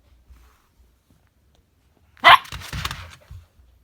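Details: Husky and chihuahua at play: one sharp, loud bark about two seconds in, followed by a rougher, lower growly vocal trailing off over a second, with a short grunt at the end; otherwise quiet.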